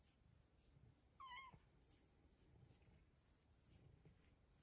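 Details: Pet cat in a closet in the morning, chirping in joy while being petted: one short, falling tonal chirp in a quiet indoor room, with faint breathing-like background noise.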